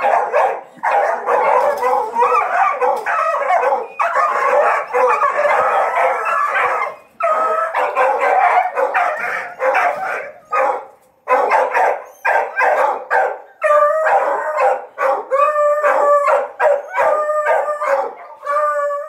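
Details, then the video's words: Several dogs on a paca hunt, trained to the chase, bark and bay almost continuously in a dense chorus, ending in repeated short wavering howls. "CAÇADA DE PACA, 🐕 Ensinando os cachorros A arte de caçar paca"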